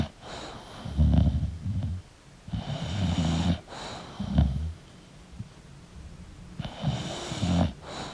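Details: An English bulldog snores while sleeping: rough, throaty low rumbles come in uneven bursts, mixed with snuffling breaths and a brief nasal whine near the end.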